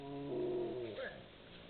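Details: Two wolves communicating with each other: a short, low moaning tone with steady stacked harmonics, held for about half a second, then dropping away into a brief, higher rising note. No other clear sounds.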